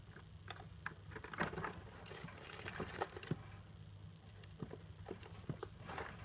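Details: Pet degus, a mother and her young, chatting together indoors: soft rustling and clicking through most of the stretch, then a brief very high, thin squeak with a tonal sweep near the end over a low steady room hum.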